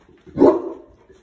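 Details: Molly, a big Boerboel on duty, barks after hearing a car pull up out the front; a single deep, short bark swelling and fading within half a second, with a quiet room around it.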